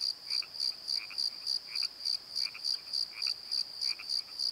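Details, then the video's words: Crickets singing after dark in a valley bottom by a tree, evenly spaced high chirps around three per second, accompanied by faint lower paired croaking notes. "Crickets and Croaks! Pozo Night Tree"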